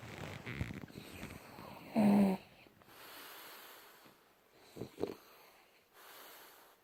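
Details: Junior, a French Bulldog, sleeping deeply in January 2018, gives soft breathy snoring sounds broken by one loud, rough snort near two seconds and a shorter snuffle around five seconds, with quiet gaps between.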